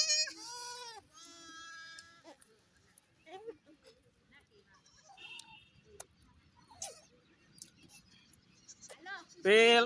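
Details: Mini goats and a baby goat on a goat farm: a wavering, strongly harmonic bleat opens, then a quiet stretch with scattered people talking, ending in a loud, sharp bleat.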